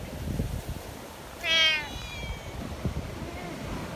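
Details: A community cat in stormy mountain weather gives a single loud, clear meow with a rich harmonic stack, briefly trailing off, while wind rumbles low in the background.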